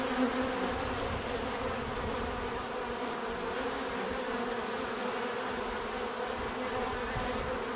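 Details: Constant bee buzzing, a full layered drone that stays even from start to end, with faint flickers of individual wingbeat tones.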